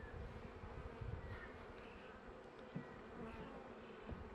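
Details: Colony of honey bees in a managed hive, late winter, as frames are added; dense even buzzing drone, low and steady throughout, with a single light knock near the middle.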